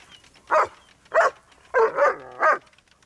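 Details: Two German Shepherds attacking a lawnmower while it moves; five loud harsh barks in quick succession, about one every half second, the middle two nearly run together.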